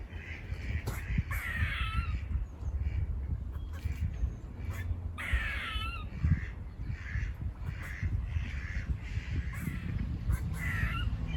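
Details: Repeated raspy, buzz-like barks from squirrels near a farm, a busy series of harsh calls, some with falling tails, over strong low rumbling background noise.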